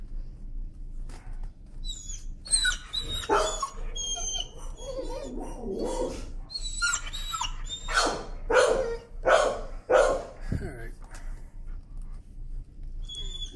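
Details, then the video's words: Fearful dog protesting leash pressure while being walked: scattered yelps, then a run of loud harsh barks roughly every half second near the end, with birds chirping faintly behind. "Timid dog, afraid of leash, screams and protests."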